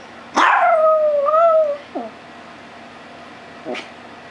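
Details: Male Chihuahua, a pet, 'singing' indoors: one drawn-out tonal howl lasting about a second and a half, slightly wavering and sliding a little lower, followed by two brief yips. A person speaks before and after.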